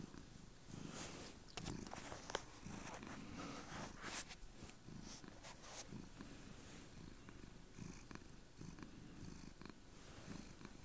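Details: Chloe, a pet cat on a bed indoors, purring hard: a continuous low rumbling throb that pulses steadily for the whole stretch, with light rustling and small clicks over it in a quiet room.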